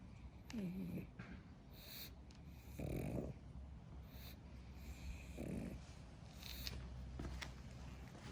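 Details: Napping pug resting after playtime, giving slow, rhythmic snores: short rasping breaths roughly every two and a half seconds over quiet room hiss, with a faint squeaky sigh at the start.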